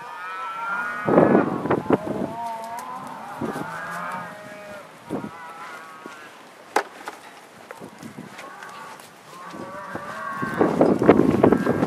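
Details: Angus cattle herd from a northeast Kansas farm heading into spring pasture, 2015; drawn-out harmonic moos at the start and end, with sharp knocks and quieter lowing between.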